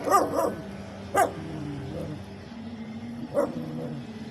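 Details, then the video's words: A dog hiding beneath a car gives a few short barks, a quick double bark and then two more singles spread over four seconds, with softer whimpering tones and a low hum between. "The sound of a dog barking from under a car!"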